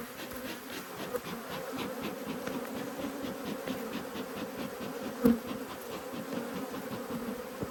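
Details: A constant, even drone from honey bees of two angry hives during inspection; a low steady buzz with a layered overtone, interrupted only by a single brief knock.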